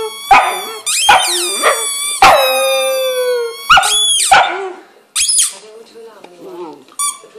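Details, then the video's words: English Setter's first howl: a series of rising yips breaking into long drawn-out howls with sliding pitch, one held over a second, interrupted by short barks and whines near the end. "First Howl"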